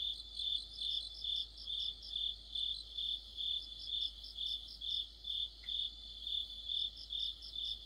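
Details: Cricket-led insect orchestra of autumn, steady shrill chirps pulsing about twice a second with overlapping higher trills; a single short downward squeak cuts in midway.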